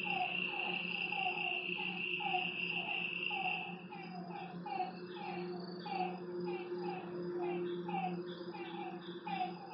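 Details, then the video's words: Frogs at night by a lake, calling in short mid-pitched croaks repeated about twice per second, partly masked by a steady high insect drone and a fainter buzzing trill higher still. "Lakeside night creatures and frog sounds"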